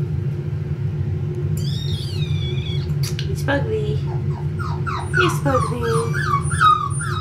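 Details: Male Pomsky puppies, five weeks old, offspring of Winter and Dash: a long, thin, high whine drifting downward, then a quick series of short descending whimpers repeated several times, over a constant low background hum.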